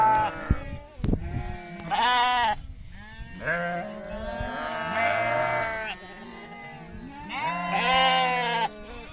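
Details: Several overlapping sheep or lamb bleats on a farm, a mix of loud and fainter wavering baas of varied pitch, with some knocking noise early on.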